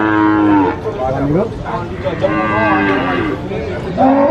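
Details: Sacrificial cattle at a market: a long, rich moo with stacked harmonics, then wavering, arching moos overlapping, ending with a new loud call starting.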